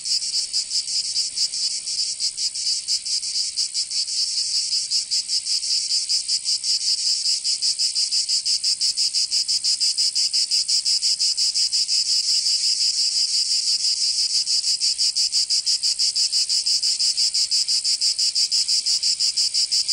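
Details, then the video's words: Cicadas singing in summer in Provence, southern France: a loud, unbroken high buzzing chorus with fast rhythmic pulsing throughout, no other sounds. "Canto Cigarra 🦗 [ Escuchar les cigarras en verano"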